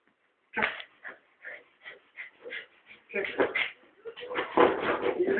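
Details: A dog whines repeatedly while trying to get a toy rat off a shelf, giving rapid high, nasal whimpers in uneven bursts that grow busier and more insistent toward the end.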